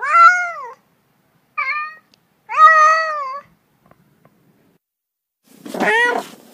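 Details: Domestic cats meowing indoors: three clear harmonic meows in the first three seconds, each arching slightly in pitch, then a rougher, noisier meow near the end after a quiet gap.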